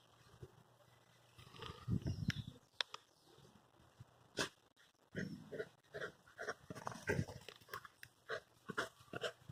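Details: Black Perro de Presa Canario dogs, one 16 months and one 6 months old, giving low, rough grunting and huffing bursts: a thick cluster near two seconds, then short bursts repeated from about five seconds on, over quiet background noise.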